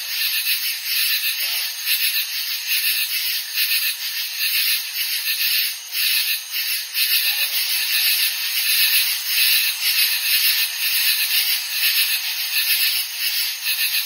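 A katydid chorus fills the air with a steady, high-pitched rasping hiss. The buzz swells and dips in loose pulses, roughly once a second, with no clear break between callers.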